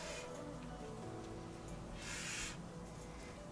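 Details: Albino Burmese python, a female about four feet long, lets out a single breathy, airy half-second hiss over a steady low hum as she is first taken out of her vivarium with a hook; noisy, not aggressive, hissing normal on handling.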